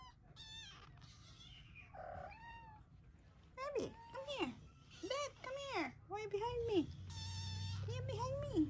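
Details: Hungry pet Ragdoll kittens cry for a delayed breakfast. A few early meows are followed by a burst of loud, arched, descending meows repeated in quick succession, with some human speech and a low background hum.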